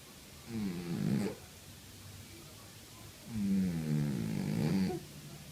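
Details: Sleeping domestic cat snoring, two rough, low, rasping breaths about two seconds apart, the second longer and louder, in a quiet indoor room.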